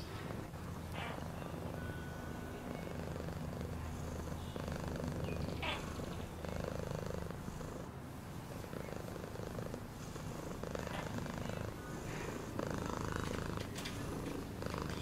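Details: Long, unbroken cat purr, a deep vibrating drone pulsing a few times per second, with occasional soft scratchy rustles above it.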